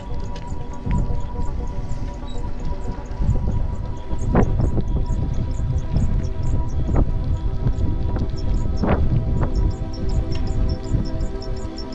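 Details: Sustained music runs over a constant deep rumble with scattered sharp clicks, and no animal voice can be picked out.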